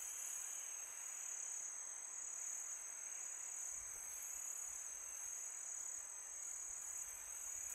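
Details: A summer night chorus of crickets: unbroken shrill trilling at a high pitch, even in volume, with soft wind noise underneath.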